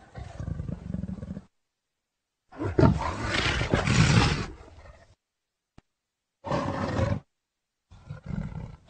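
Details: Leopard giving deep, harsh roaring calls in separate bursts: a low rumbling phrase, a longer loud rasping roar of about two seconds, then two shorter throaty bursts, with silent gaps between.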